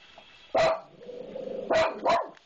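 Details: House dog barking fiercely at a disliked maintenance man: a single forceful bark, a moment of rough low noise, then two quick barks close together near the end.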